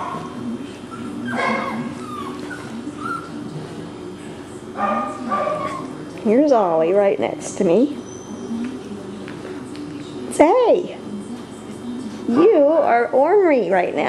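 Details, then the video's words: Male Cockapoo puppies, four brothers named Kujo, Louie, Oliver and Bo, filmed 18 April 2014, give wavering high whines around six to eight seconds in, then sharp rising yelps near ten and thirteen seconds, with a person talking throughout. "Male Cockapoo Puppies"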